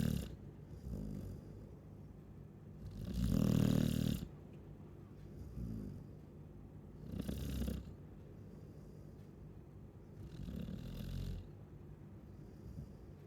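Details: A Chow Chow snores in its sleep, giving one strong grating snore followed by softer, rhythmic rumbles spaced roughly three to four seconds apart, with a low steady hum in the background.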